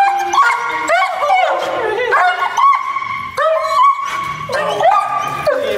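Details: German Shepherd greeting its owners at a reunion, producing repeated rising and falling whimpers and squeals, with human voices underneath.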